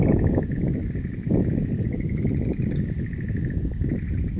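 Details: Frogs calling at a wild-plant garden in the hills on 11 April 2013: a steady, dense trilling chorus that rolls on without pause, with heavy low rumbling and wind noise underneath.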